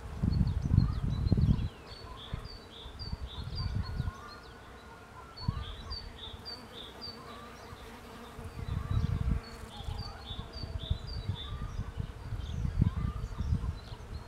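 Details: Pollen-gathering bees working a cherry tree make a continuous low hum; gusts of wind rumble in repeated bursts and birds keep up quick high chirps in the background.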